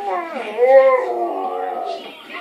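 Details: A male Alaskan Malamute sings along with his owner, giving a drawn-out, wavering howl that dips and then swells into a sustained, tuneful note.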